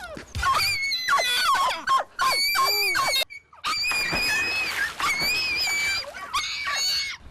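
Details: A dog on a walk lets out shrill, squealing dolphin-like screams in repeated bursts on seeing other dogs, over-excited enough to lunge at them; dog.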